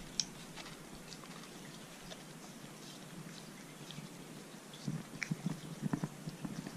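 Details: Arthur the Corgi eating a dog-safe homemade popsicle on a hot day, indoors; soft wet licking at first, then louder crunchy chewing and biting bursts near the end, with no other voices or sounds.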